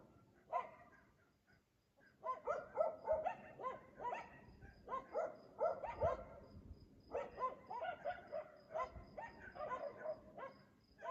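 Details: Night barking of dogs at 3 AM in Aliseda, Los Galaperos, recurring nightly as owners sleep; bursts of repeated harsh barks in quick series with short pauses, faint high insect-like chirping ticking in the background.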